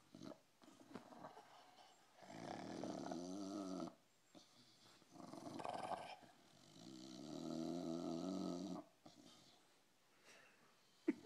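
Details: Pet dog asleep indoors, snoring in rough, buzzy, drawn-out breaths that last about two seconds each. Short quiet pauses separate the breaths, and a faint click comes near the end.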